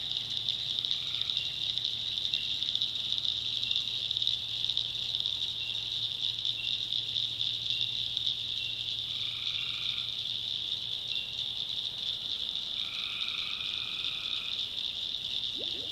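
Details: Swamp at night in the North Carolina backwoods, where tree frogs give a few drawn-out buzzy calls, mostly in the second half, under a loud continuous high chorus with a low hum early on.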